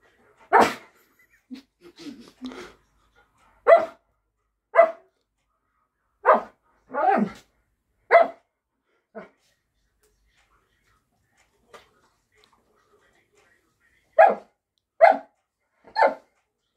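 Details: Alaskan Malamute vocalizing on a hand command indoors: about a dozen short, harmonic woofs and grumbles, spaced one to two seconds apart, with a long quiet gap midway and faint rustling between calls.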